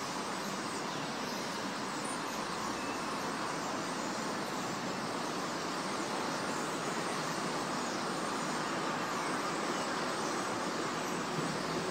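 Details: Steady broadband rushing noise like passing road traffic, with no clear animal calls standing out.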